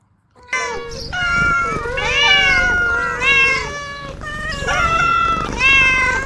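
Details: Several playful kittens meow almost continuously, overlapping wavering high-pitched cries that rise and fall in a dense chorus with hardly any gaps, over a low background hum.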